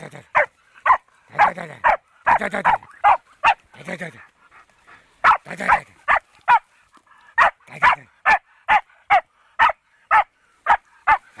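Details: On first meeting a wild boar, a fox terrier barks in quick bursts, with a short lull near the middle, then a long regular run of sharp barks; a few voice-like sounds mixed in early.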